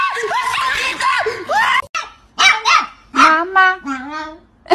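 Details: Dog making a run of arched, yodel-like howls and whines, each rising and falling, then several short rising yips, with people talking and laughing nearby.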